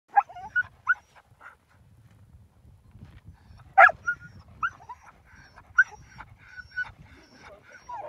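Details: Huskies at a dog sledding outing in Akureyri, Northern Iceland, excited to get going: several dogs give short sharp barks, high yelps and rising whines, with overlapping calls throughout and a louder yelp burst near the middle.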